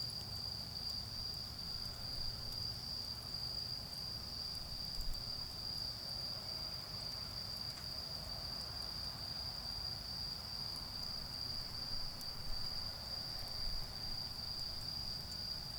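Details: Continuous shrill trilling of autumn insects in a garden during an evening bonfire, steady throughout, with faint crackles and a low rumbling of distant traffic beneath.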